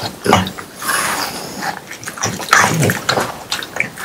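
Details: Indoors in summer, three French Bulldogs chew watermelon. Short, juicy crunches and wet lip smacks come quickly one after another, with snorting breaths mixed in among the bites.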